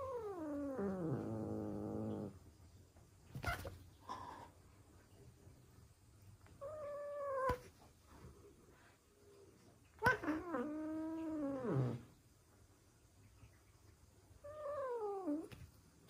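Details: Indoor Ragdoll cat, the resident cat, attacking and scolding a newly arrived cat: a low drawn-out growling wail, then several short rising-falling yowls with thumps and scuffling between them, in a quiet room.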